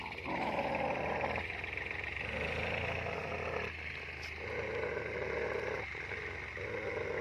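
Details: Two German Shepherds, one double-coated and one single-coated, fighting each other as they often try to; deep rumbling growls run almost continuously, swelling and easing in long phrases with brief breaks between.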